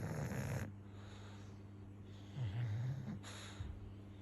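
Deep, throaty snores from an English Bulldog puppy come in two rattling bursts about two seconds apart. Soft, low breathing and snuffles fill the pause between them.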